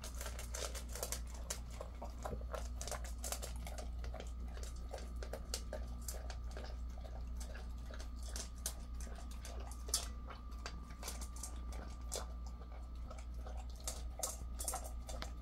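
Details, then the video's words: Ddaya, a ten-year-old male Jindo who lived aboard a ship until March 2024 and now lives on land, eats before a walk early on 26 August 2024. Rapid crunching, clicking chewing bursts run throughout over a steady low hum and a faint sustained tone. "산책 전에 밥먹기 Eating before a walk"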